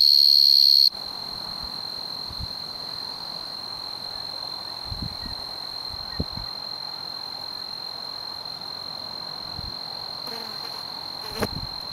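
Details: A male Oecanthus tree cricket singing in the Oldman River valley at Lethbridge, Alberta; a high, pure, unbroken tonal trill holds steady throughout, with a few soft low thumps and brief clicks in the background.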